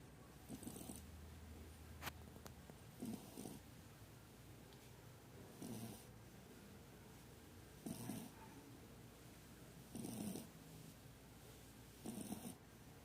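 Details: Sleeping Shih Tzu puppy snoring indoors: soft, breathy, rasping snores about every two seconds, quiet against a low background hiss, with one brief click.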